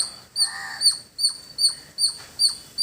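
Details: Squirrel calling near a village: sharp, very high chirps repeated roughly every half second, each a bright clipped note with fainter downward slurs between them.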